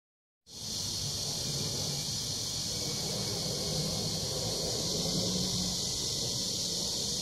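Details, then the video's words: Cicadas droning in summer at Sosa Grand Park, Bucheon, Korea: a dense, steady, high buzzing hiss that starts abruptly after a brief silence and holds unbroken to the end, with faint low rumble beneath. "매미 소리"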